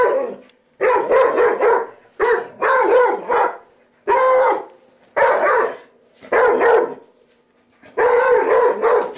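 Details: Indoor house dog reacting to a vacuum cleaner it hates, giving rapid volleys of rough, hoarse barks in clusters of two to four, separated by short silent gaps, with a faint low hum underneath.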